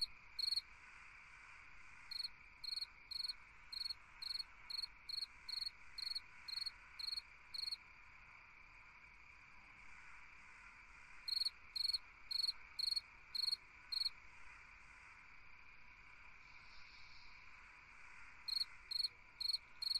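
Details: Cricket singing on a summer night: bright, high pulsed chirps, about two per second, in bursts separated by pauses of several seconds, over a steady lower hum of night insects.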